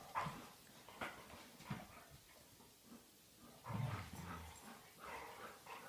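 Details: Old English Sheepdogs Dolly and Chewy playing together at home indoors; low, rough growls and grumbling bursts, quiet and irregular, with a stronger rumble near the fourth second.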